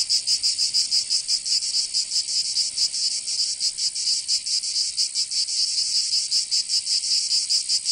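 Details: Summer cicada chorus from Provence in the south of France, a dense shrill buzz with uneven, irregular pulsing swells over a constant high-pitched drone.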